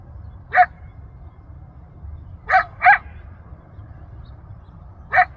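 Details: Lone coyote calling to its family across Rancho Sierra Vista open space in Newbury Park, Ventura County, carrying about a mile: four clipped, upward-flicking yips, two close together mid-clip, against faint low background rumble.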